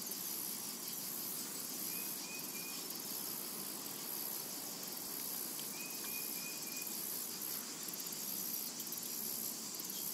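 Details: Cicadas in a summer meadow, a thin, steady high-pitched buzz with faint pulsing, over a soft broadband hiss, with two brief whistled bird notes around the middle.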